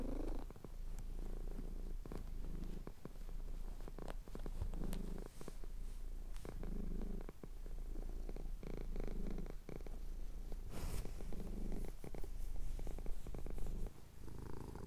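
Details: Male house cat with his chin being scratched purrs at dawn over the Cotswold hills, recorded on a Tascam DR-07X; soft, even low rumble pulsing with breathing, plus intermittent clicks and a brief rustle near the end.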